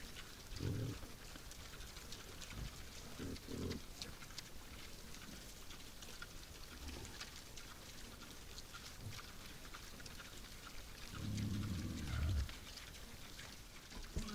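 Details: Nighttime wild boars at a woodland feeder give several deep, harmonic grunts. Short ones come early, and a longer drawn-out rumbling grunt follows about eleven seconds in. Steady hiss and light tapping run underneath.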